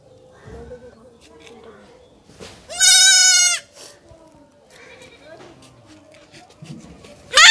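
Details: Castration of a goat kid: one loud, steady, nasal bleat close to a second long, then the start of another at the end. Low murmured speech and rustling continue in between.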